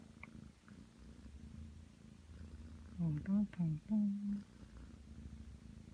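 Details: Aki, a nine-month-old Ragdoll cat, purrs steadily on a bed while kneading, settling in for affection. The low, rough, continuous rumble runs throughout, and a human voice speaks briefly midway over it.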